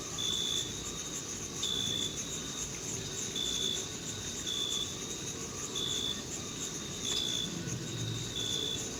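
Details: Crickets in a meadow in June, summer: clear, pure high-pitched chirps, each about half a second long, repeating roughly every one to one and a half seconds over a steady higher insect hiss and a soft low background rumble.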